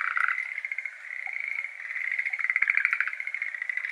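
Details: Chorus of Schlegel's green tree frogs, endemic to Japan, in a water-filled iris garden on a May evening: continuous dense rattling, pulsed croaks overlapping from several frogs, swelling louder toward the end.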